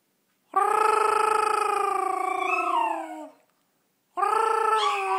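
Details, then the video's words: Yorkshire Terrier singing along after its owner indoors. A long, steady, wavering howl for nearly three seconds that trails off with a falling slur, then a second howl begins after a short pause. "Singing Yorkie"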